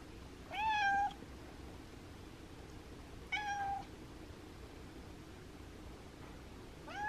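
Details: Indoor pet cat named Abby begging politely for the window to be opened on a cool, windy day: three clear, level meows spaced about three seconds apart, with quiet room background.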